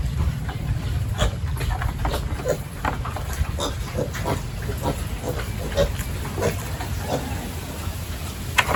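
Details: Farm pigs during a morning feeding and pen-cleaning routine on a village farm, giving short, low grunts at irregular intervals over a steady low rumble, with scattered knocks and clatter from work in the pens.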